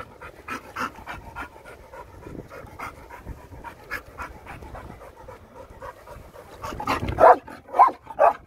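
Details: Dog teasing loggerhead turtles at Argostoli, Kephalonia, still at it an hour later: soft, steady rapid panting that turns into a few loud, harsh breathy bursts near the close.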